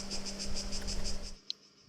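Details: Cicadas on a breezy day in an island village in Croatia: a high, pulsing buzz, pulses repeated about eight times a second, cut off after just over a second, with a low steady hum beneath.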